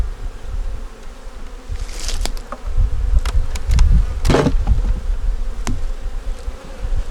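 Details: Winter inspection of a honey bee nuc with a yellow queen and brood in the top box; the bees give a deep, continuous murmur, broken by sharp knocks and clicks from handling the hive.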